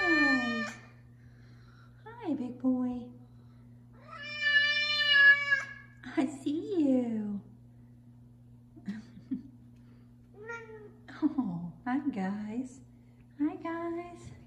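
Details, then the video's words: Big male F2 Savannah cat, five years old, indoors, being very loud one morning to demand his chicken: a series of repeated meows, some long and flat, others short and falling, over a low household hum with occasional speech. "Big Meows From Big Savannah Cat"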